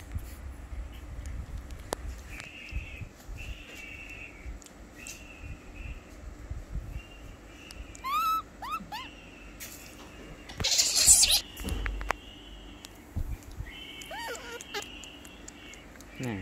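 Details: Baby monkey Lori crying loudly while being bathed: short high squeals sweeping upward in quick stacked runs, heard in bursts near the middle and end, over steady thin whistling tones, splashing noise and low background rumble.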